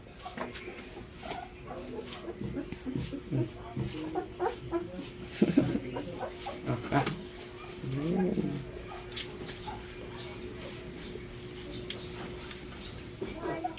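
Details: Two-week-old Belgian Malinois puppies, Ariana's litter, during their first deworming indoors: short rising-and-falling whimpers come in bursts around the middle, with people talking in the background and a steady low hum throughout.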